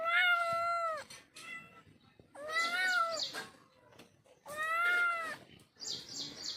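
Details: Domestic cat meowing: three clear, drawn-out meows about two seconds apart, each steady then dipping at the end, with brief chirpy electronic sounds between and after them.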